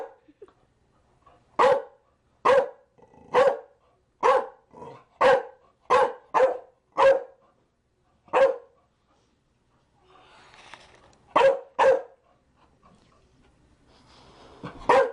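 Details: Barking Chow Chow: a rapid run of short, forceful barks, about nine close together, then a pause with faint rustling before a few more barks.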